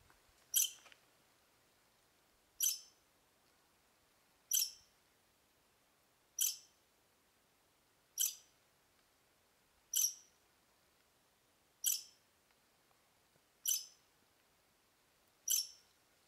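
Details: A squirrel met on a hike chirps at the person recording, giving sharp, high chirps roughly every two seconds.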